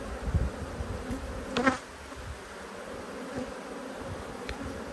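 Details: Honey bees from two hives, cross at being inspected in March 2022, give off a steady low hum that swells briefly, with a short burst of human voice near the middle.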